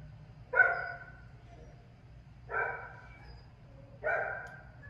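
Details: Pit bull barking during dog training: three strong, full-bodied single barks, evenly spaced about every one and a half to two seconds, over a quiet low-pitched hum.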